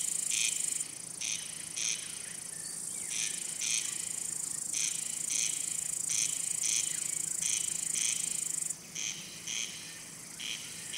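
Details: Crickets calling, males rubbing their wings: a high, unbroken shrill trill with repeated short, evenly spaced buzzy chirps running through it, the trill cutting out near the end while chirps continue.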